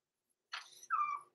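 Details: Blenheim Cavalier King Charles Spaniel puppy, six weeks old, Roman or Blue, in the indoor puppy pen overnight; a brief rough, breathy burst is followed by a short steady whimpering whine, with the room otherwise silent.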